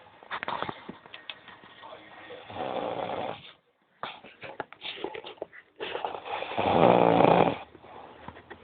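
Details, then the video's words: Cat snoring indoors in a small room: broad raspy breaths swelling and fading, a loud drawn-out snore near the end, with clicks and brief pauses between breaths. "kitty roncando"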